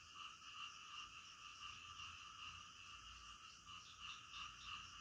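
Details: Night-time frog chorus, many callers blending into a constant high-pitched rattling hum with faint quick pulses, roughly three per second, and an even, unchanging background.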